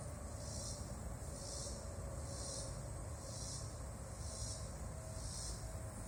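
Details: A very large bug making a loud, high, hissing buzz that pulses in regular waves about once a second, six pulses in all, over a steady low rumble.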